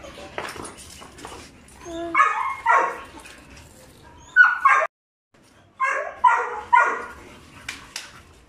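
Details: Two young Belgian Malinois, Juvs the brown one and Jeff the black one, aged five months, give clusters of bright, clipped barks in twos and threes separated by quiet gaps, with a brief low growly sound early on.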